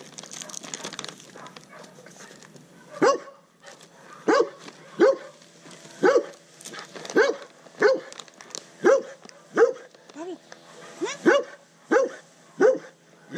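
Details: Undersocialized rescue dog, a Rottweiler Catahoula Leopard Dog mix rescued in South Florida, barking in a steady series of sharp mid-pitched barks roughly every half to one second after a quiet start, with faint background noise.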